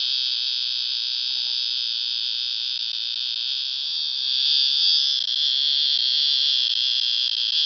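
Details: Cicada recorded at KU Dharwad, producing sound with its tymbal organ: a continuous, high, shrill buzz with no breaks, swelling slightly louder halfway through.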